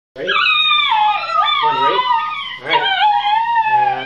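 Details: Three Basenji dogs give wavering, yodel-like howls that slide up and down in pitch as they "sing" along to Happy Birthday.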